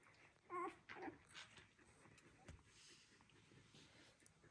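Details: One-day-old Border Collie puppies from Kiss and Kobi's litter: short high whimpers and squeaks in a quick burst near the start, then a few fainter whines over low room noise.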